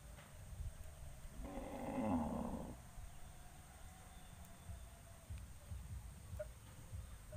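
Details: Cattle kept as livestock gather on a road before going out to graze; one sustained, harmonic moo of about a second and a half, surrounded by low steady rumble.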